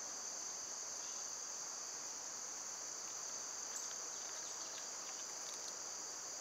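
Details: Summer cicada chorus on one of its quieter days. A continuous, piercing, high-pitched drone fills the whole stretch. A few faint, short chirps rise briefly above it.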